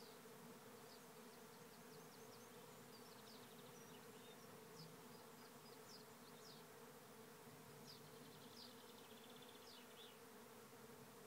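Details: Swarming bees, thousands strong, entering a trap hive at Lisballyard, Rathcabbin, Ireland; continuous deep buzzing drone throughout, overlaid by repeated quick high bird chirps and trills.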